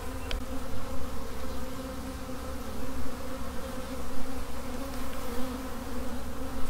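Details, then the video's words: Steady low hum of a honey bee swarm, layered tonal buzzing pulsing gently in loudness, with a faint click at the start. "Honey Bee Swarm"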